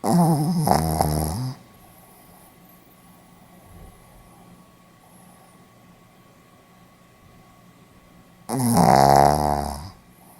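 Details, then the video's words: Two loud buzzy snores from a sleeping Pomeranian, recorded in Hiroshima on 4 November 2015, about seven seconds apart with a steady faint hum and quiet breathing between them. "ポメラニアン 犬のいびき"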